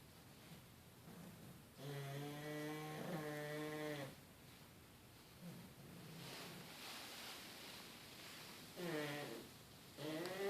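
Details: Sleeping puglets snoring together indoors: droning, tonal snores with a steady low pitch, one long snore of about two seconds, softer murmurs between, and another snore starting near the end.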